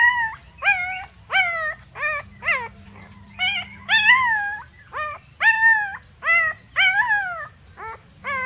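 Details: Puppy afraid and crying for its mother: a string of short, sharp whines, some falling steeply, others held and bending, coming roughly every half second with a few longer wails near the middle; low background hum.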